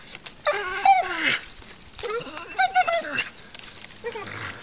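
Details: Rosie, a pet dog who often climbs the tree in her yard and makes monkey-like noises, lets out strained, wavering whines in two long bursts and a shorter third, pitch sliding up and down.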